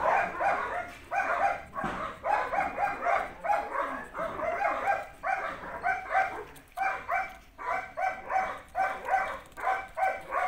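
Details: Belgian Malinois puppies yap and bark in a busy overlapping chorus, sharp high yips coming roughly twice a second in uneven volleys with brief gaps, several young dogs calling at once.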